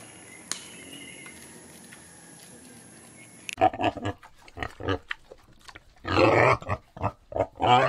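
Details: Wild boar grunting: after about three and a half seconds of quiet background with a faint high whine, a burst of short, rough, snorting grunts comes in irregular clusters, with louder, broader squealing grunts near the end.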